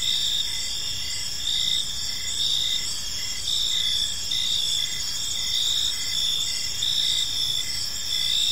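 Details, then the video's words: Gentle chirping of crickets in a park at evening: continuous high trilling from several insects, with a distinct lower chirp repeated about twice a second throughout. "Park Serenade: Cricket Sounds in a Peaceful Park"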